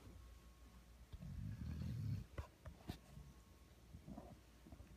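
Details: A sleeping 1-year-old female Vizsla, lying as a lap dog, snores with one low, rumbling breath, then a few soft snuffles and clicks.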